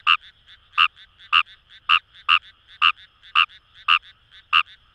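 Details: Paddy-field chorus of Fejervarya kawamurai near the Kamo River, Itoshima, Japan: a near frog gives clipped, grating croaks about twice a second, with weaker answering notes from other frogs in between.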